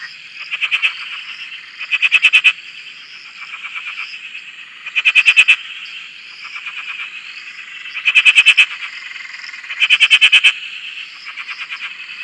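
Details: Frogs at a dam in Australia, recorded from a shack: loud, clear bursts of rapid rattling croaks, each lasting about half a second, repeated every one to two seconds over a softer trilling chorus.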